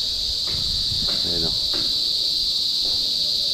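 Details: Kuliglig (cicada) calling nearby, active and very noisy toward dusk. A loud, steady, high buzzing drone runs unbroken throughout, while a man talks over it.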